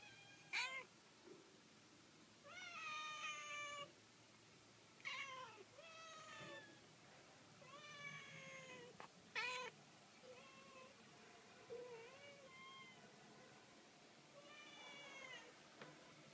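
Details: Cats meowing in a string of separate calls, roughly every one to two seconds, some sharp and loud, others drawn-out and wavering, over a quiet background.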